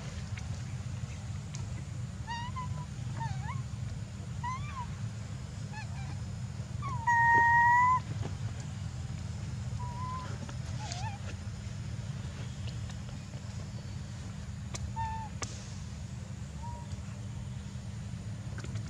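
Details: Young macaque Jinx crying near a stone as her angry mother weans her, Angkor Archaeological Area near Siem Reap, Cambodia; scattered short tonal cries with harmonics, one loud drawn-out wail midway, over a steady low rumble.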